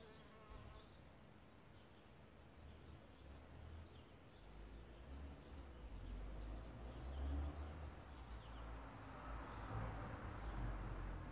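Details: Around a bug hotel where solitary bees nest, a low droning hum carries throughout, swelling as a bee passes close near the end, with a soft broadband rustle and very faint far-off birdsong.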